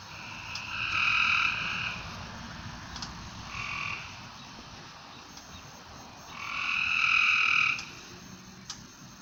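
A frog calls at night with drawn-out, reedy, buzzing notes about a second and a half long, plus shorter bleats in between. A steady hiss of night background noise runs underneath.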